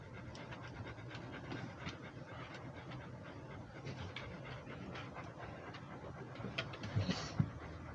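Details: Rhodesian Ridgeback walking and breathing hard: steady, breathy panting pulses, roughly 140 per minute, soft and even throughout, with a few louder knocks and a brief higher hiss near the end.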